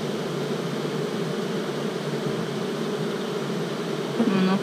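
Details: A starter colony of Western honey bees with queen-cell cups, noisy in spring; an even low humming drone throughout, ending with a brief voice.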